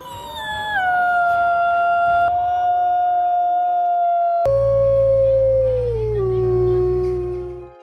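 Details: Gray wolf howling, played back for comparison with the snow leopard's voice: long, loud, steady drawn-out tones that fall in pitch at the start, hold level, then step down again near the end, with a low hum underneath the second half.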